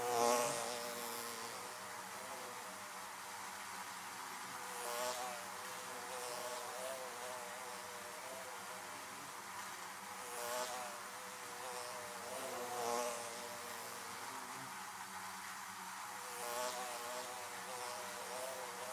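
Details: Bees flying around beehives: a steady droning hum with harmonic bands, swelling as individual insects pass close every few seconds, with brief hissing bursts of wingbeat noise during the louder fly-bys.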